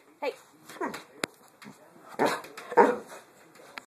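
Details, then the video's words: Attention-seeking Boxer puppy Dozer, indoors during dinner preparation: a string of rough, breathy barks and grumbling yowls at irregular intervals, mixed with a woman's voice scolding him and a sharp click partway through. "Boxer Puppy Dozer wants mom's attention"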